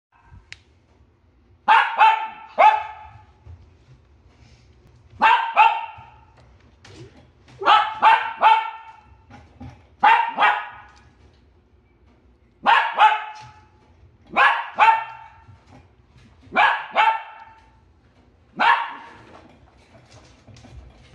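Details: Shiba Inu puppy at a pet shop barking in short bursts of two or three sharp yaps, bursts roughly every two to three seconds, with a low hum between barks.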